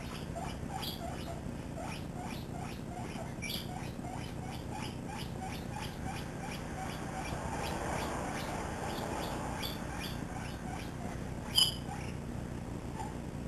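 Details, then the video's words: Seven-week-old pet guinea pig Misty, running loose in a living room alongside another guinea pig, Peanut, chatters in a rapid string of short, squeaky chirps, roughly two per second, which thin out before one louder squeak near the end. "7 Weeks Old Misty - Sounding Like A Squeaky Toy"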